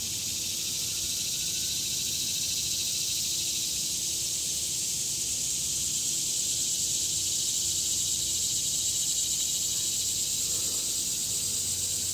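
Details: Chorus of ordinary annual cicadas in an urban neighbourhood in summer, loud enough to sound like a jungle; a continuous steady high hiss-like drone persists throughout without breaks, with faint low rumble beneath.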